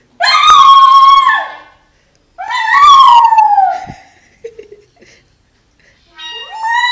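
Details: Lilly, a female Jack Russell terrier aged two, sings in long, loud howls. Two drawn-out notes waver and fall in pitch, followed by a few short quiet sounds and the rising start of another howl.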